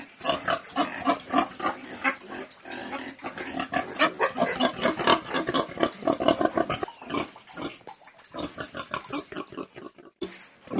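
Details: Domestic pigs on a farm grunting in a busy, overlapping stream of short harsh oinks, several per second, thinning out toward the end.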